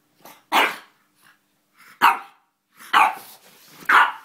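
A French Bulldog gives short, gruff barks at uneven intervals in play.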